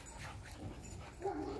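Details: Backyard husky Whiskey, trained to run on his own for about five minutes when not taken to the park; muffled movement sounds, then a brief wavering whimper at the end.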